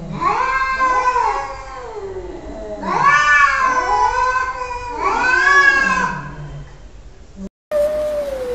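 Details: Arguing cats trading drawn-out caterwauling meows indoors, three long swooping wails about two seconds apart, each arching up and down in pitch, followed by a short clean tonal mew after a brief cut.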